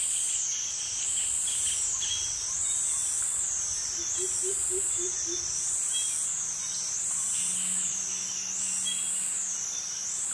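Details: Cicadas in Thai tropical forest at Krabi, males calling for mates: a rhythmic, undulating high whine cycling every second or so, with a quick run of five low pips near the middle and a soft low hum later.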